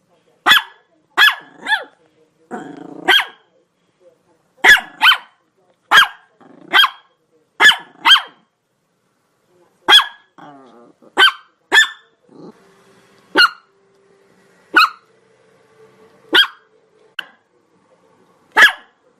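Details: Chihuahua barking non-stop: about fifteen sharp, high-pitched yaps in irregular bursts, some in quick pairs, with a rough, buzzy whine near the start and softer wavering whimpers midway.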